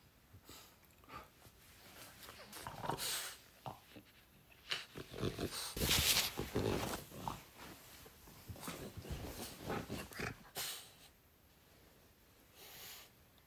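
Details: French Bulldog indoors, snorting and grunting in irregular broadband bursts about four per second, loudest around the middle, with faint speech in a small room.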